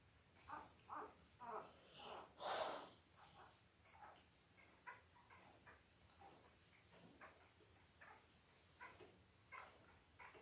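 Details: Five-day-old Labrador Retriever puppies, Belle's litter of five males and three females born October 15, 2023, on a live puppy cam; quiet short squeaks and snuffling grunts repeat about twice a second, with one louder breathy snort early on.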